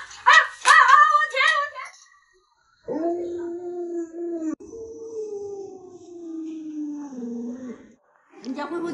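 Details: Luoluo, a pet Alaskan Malamute, gives a long howl after a burst of human talking: a steady tone held for over a second, a brief break, then a longer tone sliding slowly downward for about three seconds before fading.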